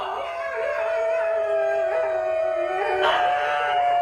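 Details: About four or five New Guinea singing dogs inside a home howl together in sustained, wavering tones that overlap into an eerie chorus.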